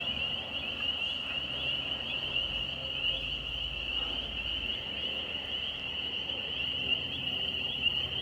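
Frogs call in a dense, unbroken high chorus that rings steadily like an alarm.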